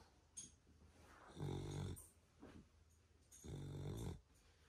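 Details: Pet beagle asleep indoors in Australia, snoring very loudly: two long, deep rumbling snores about two seconds apart, each lasting about half a second, with softer snuffling breaths between them.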